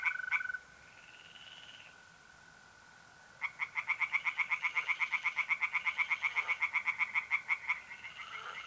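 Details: Tree frogs singing by a pond on an April night in north-east Italy: a fast train of rapid, evenly pulsed croaks about four per second, over a steady high trill of mole crickets.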